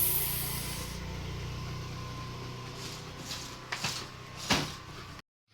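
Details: Quiet indoor room hiss with a fan-like hum and one brief high squeak-like click near the end; no clear animal call.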